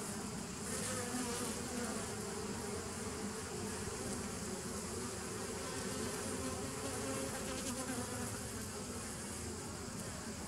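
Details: Steady massed buzzing of honey bees, 27 September 2018, a thick continuous drone with faint pitched bands in the low range and occasional brief hissing swells above, no pauses.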